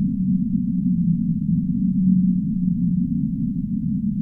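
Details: Humpback whale singing: low, drawn-out moaning tones held steady across much of the stretch, set within a dense, muffled underwater rumble with no higher sounds above it.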